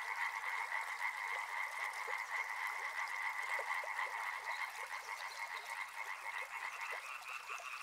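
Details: Many frogs croaking at once near a river, fast rhythmic pulses forming a buzzing two-toned chorus, the upper tone edging higher near the end.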